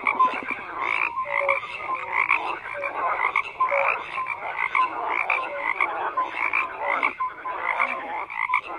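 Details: Frogs croaking together in a busy chorus, harsh rattles overlapping with short tonal whistles, continuous with small dips in loudness.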